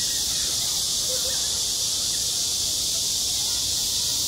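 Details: Summer cicada chorus over a school playground, a continuous shrill, even-toned buzz with no pauses, holding at one level across the whole stretch.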